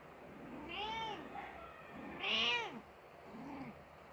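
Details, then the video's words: Persian mother cat crying after her kitten died, giving three drawn-out, wavering meows with rich harmonics, the middle one loudest and highest, the last short and low. "Persian Mother Cat is Crying because her kitten died"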